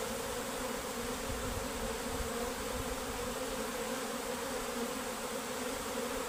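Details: Many worker honey bees flying off from their home hive along with the queen; the constant, even buzzing hum of the crowd fills the whole stretch, steady in loudness and pitch.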